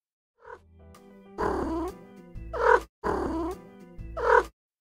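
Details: A domestic cat gives short, rolling trills, a soft chirruping murmur repeated in brief bursts over background music; this sound signals attention, care for kittens, or feeling good. Cat.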